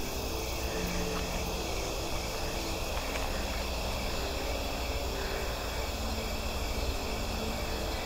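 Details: A steady chorus of singing insects at dusk at Big Marsh Park, Illinois, in summer: high, continuous trilling as they call to one another, over a low rumble.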